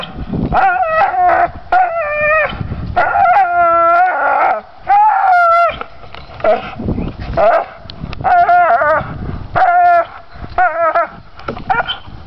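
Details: Pit bull persistently gnawing pine branches, letting out repeated loud, howl-like whines and strained cries in short clusters with pauses.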